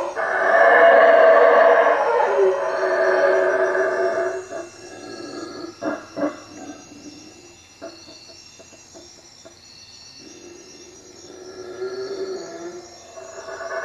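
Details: At night above a hut at Lake Peten Itza, Guatemala, howler monkeys roar loudly for about four seconds, then go quiet; a few sharp clicks and knocks follow before a softer roar returns near the end, over faint insect hum.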